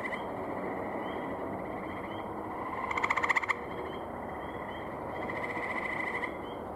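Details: Male gray tree frogs calling at a pond in the evening, May 15, 2018: one loud, short pulsed trill near the middle, with fainter trills from other males behind it and a steady chorus hum.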